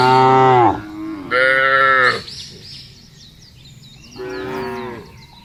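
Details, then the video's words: Cows in a field, Indonesia, lowing loudly: two strong harmonic moos, the first falling at its end, then a softer third moo after a pause, with faint bird chirps between calls. "FUNNY SOUND OF COWS IN THE FIELD..SUARA SAPI LUCU"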